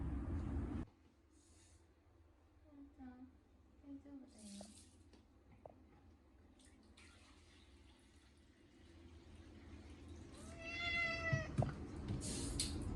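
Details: Short-legged Munchkin cat named Chacha screaming during his first bath in a year, on a hot day, washed with a catnip cat shampoo. One drawn-out harmonic wail near the end follows lower murmuring sounds. Running water, splashing and a human voice are also heard.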